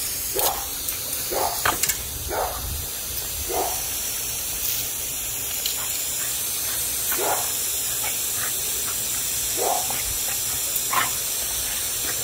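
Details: Boxer and Boston Terrier dogs attacking a spraying water hose, giving short, sharp barks and snorts at irregular intervals over a steady loud hiss of spraying water.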